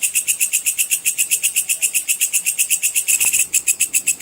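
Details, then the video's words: High, rasping 'cicir' stridulation of a sword grasshopper, used to train competition songbirds; regular rapid pulses throughout, with a faint click and slight unevenness toward the end. "suara belalang pedang cicir full"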